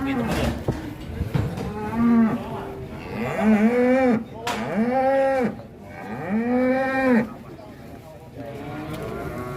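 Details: Angry cattle just off a truck in Indonesia, rampaging until a horn came off: a series of four or five long, arched bellows, each rising then dropping, about two seconds apart, over background music and people talking.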